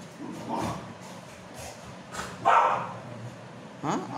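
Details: Labrador Retrievers Meera and Sasha in playful fighting; short barks and growly bursts near 0.6, 2.5 and 3.9 seconds, separated by quieter noisy gaps.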